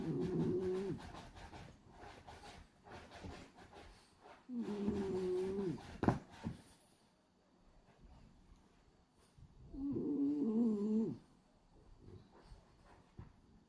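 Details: Hachi, a male pied black-and-white French Bulldog, snores while asleep with his tongue flapping; three tonal, wheezy snores of about a second each come roughly every five and a half seconds, with quiet breathing between.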